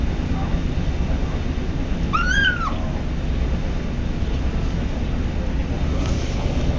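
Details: ['On day one in his new home, the male kitten Patches makes a brief high arched mew while eating, quickly rising and falling, then quiet apart from steady low household noise.']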